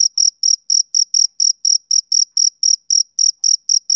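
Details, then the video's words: High, ringing chirps from a male cricket on a summer evening, evenly spaced at about four each second, every pulse a short buzzy trill with a faint upper overtone. No background noise. "Cricket Chirping Sound Effect"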